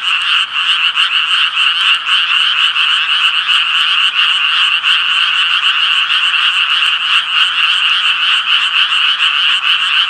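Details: Japanese tree frogs croaking in a dense, unbroken chorus: overlapping rasping notes with bright energy in two high bands, fast, uneven pulses blurring together throughout.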